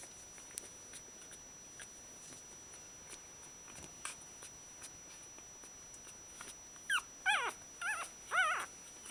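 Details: One-week-old Shiba Inu puppies, described as very happy, give quick runs of thin, high, wavering whines and squeaks in short bursts, with faint clicks and rustles before them.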